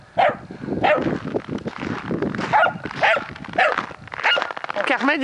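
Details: Wirehaired Dachshunds playing outdoors after freezing rain give sharp, yappy play barks in quick bursts, with a person talking alongside.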